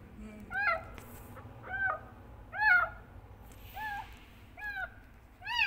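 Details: Kitten meowing loudly for its mother, short wavering meows repeated about once a second, some slightly broken, over a faint low hum.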